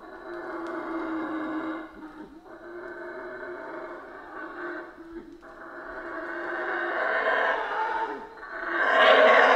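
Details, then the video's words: Central American rainforest howler monkeys giving long, grating, roaring howls that rise and fall, with brief lulls, building to a loud surge at the close; a constant humming drone sits beneath. "Rainforest Howler Monkeys Sounds"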